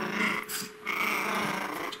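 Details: Pomeranian puppies, 65 days old, two males, growling indoors while playfully attacking an adult female: rough, noisy, continuous snarling in two bursts with a short break, with faint higher whine-like tones riding on top.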